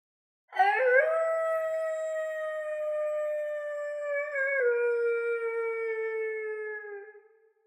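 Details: A female German Shepherd on a farm gives one long, steady, tonal howl lasting about six seconds. It holds an even pitch, then steps down slightly partway through and fades out at the end.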